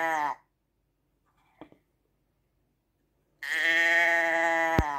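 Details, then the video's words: Sheep bleating: the tail of one nasal bleat, then quiet with a faint click, then a new sustained, even-pitched bleat that ends with a sharp knock. "ASMR Schaafgeräusch 1 Stunde Sheep sound"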